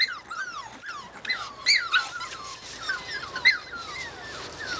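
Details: A litter of Australian Cattle Dog puppies in Slovakia whimpers together, many thin, high, downward-sliding whines overlapping continuously over a hiss of background noise.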